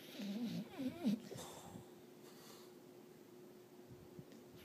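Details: Beagle asleep on a bed, snoring, recorded on a phone at night after it woke its owner: a wavering, voiced snore with a rough, whistling edge in the first second, then quiet breathing under a steady low hum.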